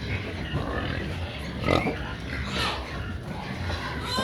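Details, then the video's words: Noisy pigs on a farm calling because they want to be fed; a dense, harsh mix of squeals and grunts from several animals overlapping throughout, with louder squealing bursts rising above the constant din. "This pigs are so Noisy when they want Feeds"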